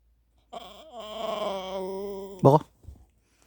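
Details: Dog waiting in front of a treat, described as angry, gives a drawn-out tonal groaning growl that wavers up and down for about two seconds, then ends in a short, sharp, louder burst, indoors in a small room.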